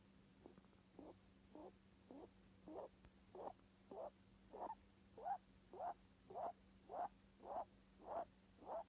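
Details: Nose breathing of a rabbit, heard as a steady series of brief, airy snuffling pulses, under two per second, growing gradually louder and more even, with a constant faint hum underneath.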